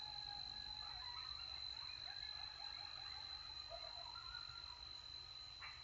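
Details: Coyotes howl and yip together in wavering, overlapping high notes after a successful hunt while eating, with a steady thin whine behind, in Texas.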